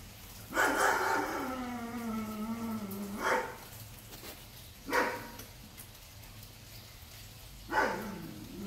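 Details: Big dogs belonging to neighbors barking while Davie, a capuchin monkey on a porch, hears them and grows worried; a long falling whine opens, then three sharp, separate barks follow a second or more apart, with a calm voice nearby.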